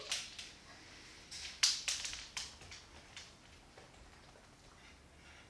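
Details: Sharp clicks, snaps and short hissy bursts in a small indoor room, like an aerosol can being sprayed, with no animal voice.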